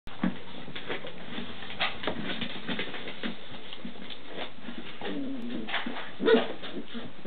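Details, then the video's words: Six-week-old Standard Schnauzer puppies playing in pairs indoors, vocal and loud: scattered low growls and short yips with scuffling, a sharper squeak near the end. "Standard Schnauzer pups_noisy puppy play"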